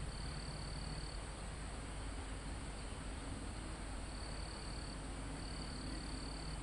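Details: Crickets in a calm mountaintop forest, recorded live: a shrill trill at the start, then two more high buzzy bursts near the end, separated by gaps, all over a persistent broadband wash of wind in the foliage.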